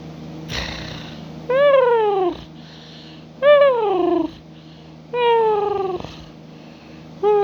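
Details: Saki the cat lets out four drawn-out, harmonic meows, each sliding downward in pitch and lasting under a second, spaced roughly every one and a half seconds over a steady low electrical hum.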